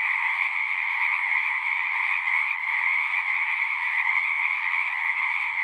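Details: Nonstop frog chorus, an unbroken high trilling hum from many callers at once, even in pitch and loudness across the whole stretch, with no other animals or noises heard.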